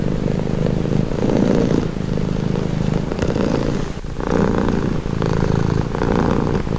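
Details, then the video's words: A pet cat's calming purr: deep, buzzing vibration pulsing in alternating inhale and exhale phases about every second and a half, with a brief dip near the middle. "Purring cat"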